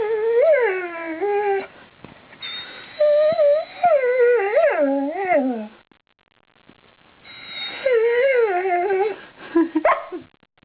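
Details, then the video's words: Rosie, a house dog eager to go outside and impatient at not being let out, produces a run of quavering, rising-and-falling whines and yips in quick succession, a pause, then more wavering whimpers. "Dog wants to go out"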